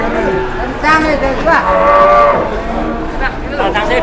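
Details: Agitated cow in Indonesia bellowing while being unloaded from a truck, nearly hitting a roadside stall and almost goring people; loud harmonic moos rise and fall over several seconds, with people talking excitedly nearby.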